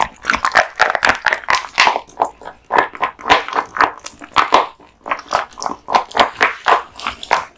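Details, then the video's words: Kotetsu, a male American Bully born 2016, eating a large raw meat and bone lunch indoors; steady wet chewing and crunching bursts repeat roughly every half second, close and clear. "大食い犬ASMR】デカ盛り生肉ランチを豪快に食べまくる愛犬の飯テロ動画MUKBANG Dog eats raw meat bones"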